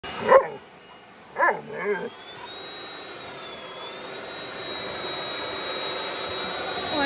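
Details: Central Asian Shepherd puppy giving three short, sharp barks within the first two seconds, then a steady whining mechanical tone with background hiss.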